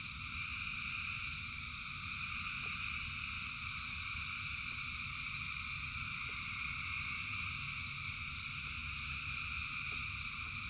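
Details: Frogs by the thousands calling in rain, their voices merging into a constant shimmering drone of stacked high buzzes that never pauses, with rain's low steady wash beneath and occasional soft ticks.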